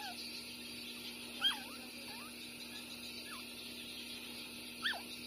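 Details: Six-day-old puppies Bob and Massy, littermates born the same day, suckling; a few short, sharp falling squeaks spaced about a second apart against a constant low hum.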